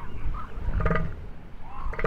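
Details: A male northern elephant seal gives a deep, throaty battle call in short, pulsing bursts during the breeding season, when males fight for access to breeding females.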